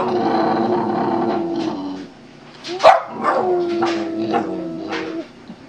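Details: Boston Terrier singing for a treat: a sustained, wavering moan-like howl, then a sharp bark and further drawn-out grumbling tones; an indoor setting with a coaxing owner.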